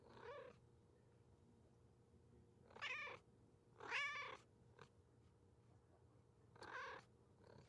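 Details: Cat meowing loudly in a sequence of short harmonic mews, four main calls at irregular gaps with a brief click between them, a faint background hum throughout.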